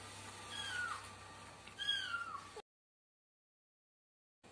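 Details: Thin, high-pitched mews, two faint descending calls of the kind a kitten makes, over a low steady hum, then silence.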